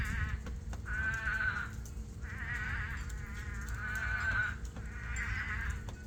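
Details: Toads calling during a monsoon rainstorm at night at a farm pool filled by rain; first one lone voice, then many dug out and joined. Four wavering, bleat-like trilled calls, each about a second long, over steady low rain rumble.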